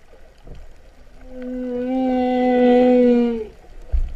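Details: Underwater humpback whale song off Vava'u, Kingdom of Tonga, September 2015, described as cow-like mooing. One long, steady, deep harmonic moan swells and holds for about two seconds before fading, with faint water noise around it.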